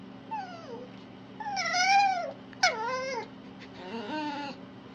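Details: Red fox (Vulpes vulpes) whimpering in a series of short, quieter calls: a thin falling whine, an arched louder cry, a quick sharp yelp-like note, then a wavering softer whine over a low hum.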